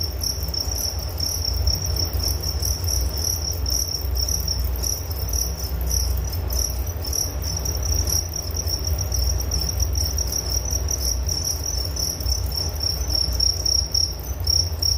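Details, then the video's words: Crickets chirping in a steady, unbroken high-pitched trill with a fine pulsing texture, several callers overlapping, over a constant low rumble in the background. "Relaksasi Suara Jangkrik Penghantar tidur || Nature Sound of Crickets"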